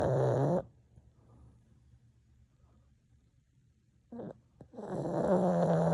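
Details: Pug snoring: a rasping, throaty snore fades out in the first second, then near silence, then a short snort and a longer rasping snore builds from about four seconds onward.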